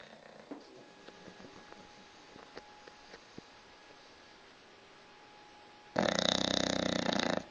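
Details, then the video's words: A pet dog snoring at home, described as snoring worse than a human: after quiet room noise with faint clicks, one loud, rasping, fluttering snore breath bursts in over the final second and a half. "my snoring dog"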